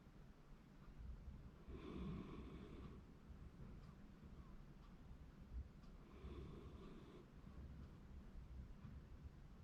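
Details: Shiba Inu asleep in January 2024, giving two drawn-out nasal snores about four seconds apart, each roughly a second long, over a low steady background hum.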